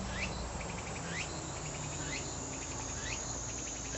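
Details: Tsukutsukuboshi cicada song: rising buzzy sweeps about once a second, each followed by a short train of rapid ticking pulses. Steady low rumble throughout.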